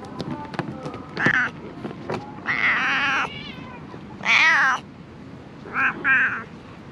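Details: Stray cat among discarded garbage calls again and again, drawn-out wavering meows roughly every one to two seconds, some paired, over ticking and tapping noises.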